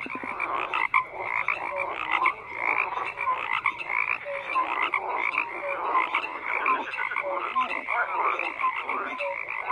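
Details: Frogs croaking as a crowded chorus: rough, rattling calls overlap continuously, with scattered short tonal notes and irregular surges in loudness.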